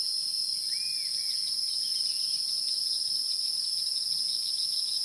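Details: Continuous shrill whine of wild insects holding steady in two high bands; one brief faint rising-falling whistle near the start.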